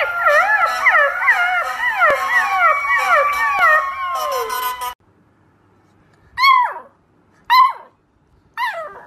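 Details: First howls from a puppy: rapid wavering, overlapping howl notes for about five seconds, then quiet broken by three short rising-falling yelps.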